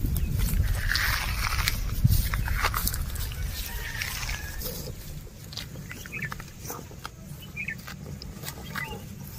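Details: Cows and bulls walking and eating grass outdoors; dense crackling, tearing bursts come roughly twice a second over a steady low rumble, with faint bird chirps high above.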